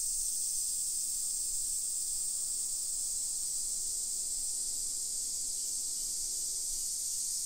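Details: A dense, constant high buzzing of summer cicadas fills a suburban Nagoya street in Nisshin city, Japan, at 1 PM on 28 July 2021, steady from start to end with quiet low ambient noise.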